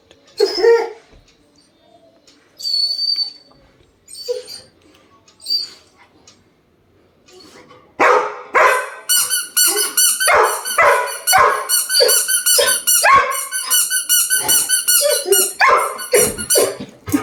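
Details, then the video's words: Labrador Retriever Sam, angry at not getting his toy: scattered quiet yips and squeaks for eight seconds, then a dense, continuous run of rapid barks and high-pitched squealing whines to the end. "Labrador dog SAM angry reaction for not giving his toy"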